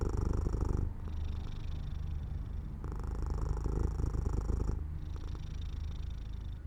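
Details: Close, loud purr from a house cat drifting to sleep beside an open window in sunshine. Deep, rapid pulsing runs continuously, alternating between brighter, breathy passages and duller, quieter ones about every two seconds.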